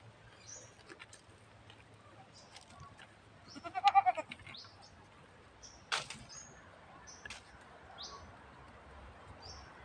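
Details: Very thirsty goat in the countryside in the afternoon, giving one loud, wavering, quavering bleat lasting about a second midway, with scattered high bird chirps, a sharp knock and soft background murmur around it.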